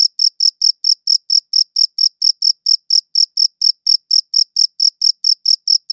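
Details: Several crickets chirp in a high, clear pitch, recorded with a good audio recorder; the short pulses come about four each second, slightly uneven in spacing, over a silent background.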